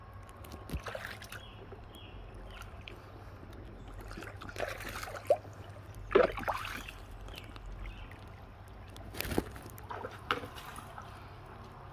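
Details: Water sloshes and splashes with scattered knocks and gurgles, and no animal voice is heard.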